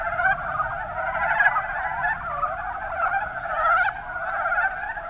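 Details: Mountain brown frogs, Rana ornativentris, calling in the Kuma Basin of Kumamoto, Japan; a dense chorus of overlapping low, rattling croaks run together without pause, with no other sounds standing out.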